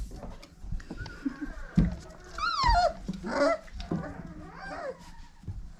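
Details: Five-week-old Old Family Red Nose Pit Bull puppies from parents Abby and Ragnar, indoors; several high, falling whimpers slide downward in pitch, separated by soft rustling and low thumps.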